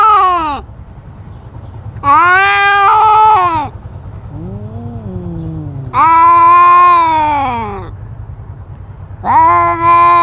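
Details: Cat in a fight asserting dominance over its territory, wearing a GoPro: loud drawn-out harmonic yowls in four bursts roughly two seconds apart, one lower growling moan between them, faint background hum.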